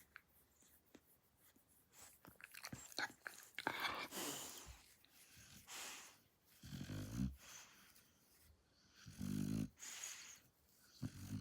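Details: Shar Pei dog asleep, snoring with irregular breaths; quieter breathy rasps early on, then two strong low vibrating snores near the seventh and ninth seconds.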